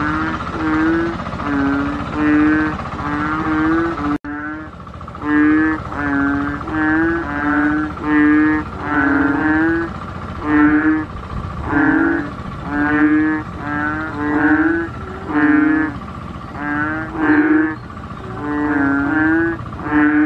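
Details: A long chorus of Asian painted bullfrog honks. Low, resonant, buzzy notes come one after another in a near-continuous stream, with a brief break early on, and several frogs seem to overlap.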